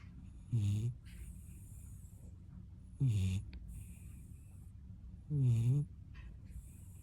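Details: Sleeping puppy whose specialty is snoring: three low, rasping, harmonic snores about every two and a half seconds, each under half a second, with soft airy hiss between breaths.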